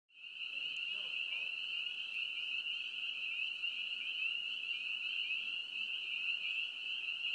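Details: A dense chorus of spring peepers (Pseudacris crucifer), their high piping peeps merging into one shrill, unbroken ring.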